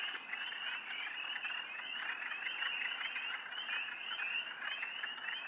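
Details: Night chorus of spring peepers near a pond: countless short, high, upslurred peeps packed together into an unbroken ringing wall of sound.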